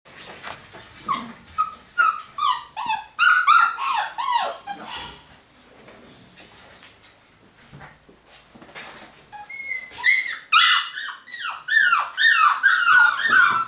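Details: Golden Cavapoo puppies from a new litter in the UK, 2015, indoors: high, tonal squeals and whines, several pups overlapping in bursts, a quieter lull in the middle before the chorus of rising-falling yelps resumes.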